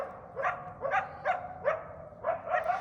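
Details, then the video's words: A wild pair of coyotes, the male Barky and his mate, barking while escorting a walker from about 30 yards away to move him along. Two coyotes can sound like ten. Six sharp, upward-flicking yelping barks come about every 0.4 seconds. "I know it sounds like there's about 10 coyotes, but there's really just two."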